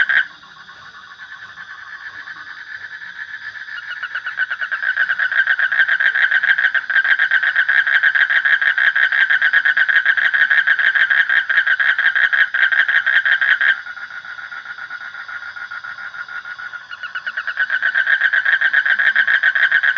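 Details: Frog calling in a dense, fast pulsed rattle that builds in loudness, drops away suddenly partway through, then returns at full strength for the final seconds.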